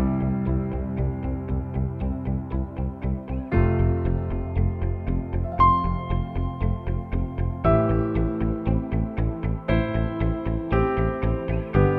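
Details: Bright synthesizer and plucked-string Christmas music plays with a steady ticking beat and shifting chords, and no animal voice can be picked out.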